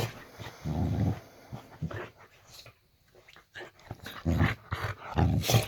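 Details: Boxer dog at bedtime in a bedroom, giving softer low growls in a few short bursts with a quiet stretch in the middle, over faint room hiss.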